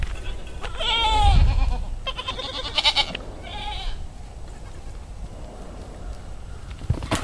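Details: Baby pygmy goats in Fort Smith, Arkansas give high, quavering bleats, three calls in quick succession over low rumbling background noise.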